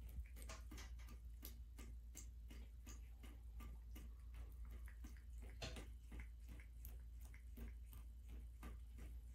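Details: Black female American Shorthair cat lapping water from a running bathtub faucet indoors, recorded January 21, 2023; quick sharp licking clicks repeat about three to four times a second over a steady low hum and running water.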